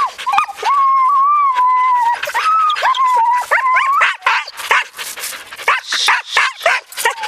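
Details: Yearling Siberian Huskies and six-year-old Ravn on a spring run, 2011. One long, steady, slightly wavering howl-like whine lasting about two seconds, then more pitch-bending whines and a rapid string of yips and yelps.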